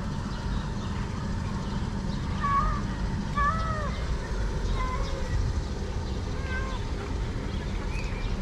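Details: Six hungry cats gathered in a garden in Morocco; faint, rising-then-falling meows come at irregular intervals, about four in all, over a steady low rumble of traffic.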